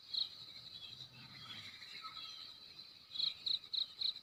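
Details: Cricket in a Timor village at daybreak, Ki'e, NTT: one high chirp, a pause filled with low rustle and faint birds, then four crisp chirps spaced roughly a third of a second apart.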